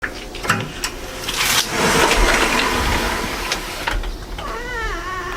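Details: Stray cat with a plump belly, being picked up and hugged: a long rushing, hissing noise like flowing water fills most of the recording, then one short wavering, tonal meow rises and falls near the end.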